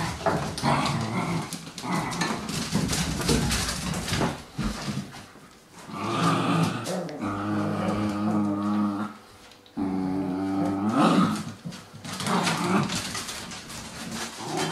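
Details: Cairn Terrier puppies, born 25 April 2012 and recorded 28 June 2012, give low, harmonic growls. Two drawn-out growls last about three and two seconds. Noisy scuffling and rustling come before, between and after them.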